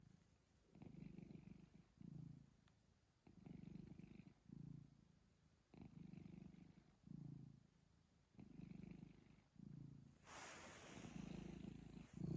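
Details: Cat purring with hiccups: low rumbling phrases, each cut by a sharp hiccup click about every 1.2 seconds, with a rushing noise swelling over the final two seconds.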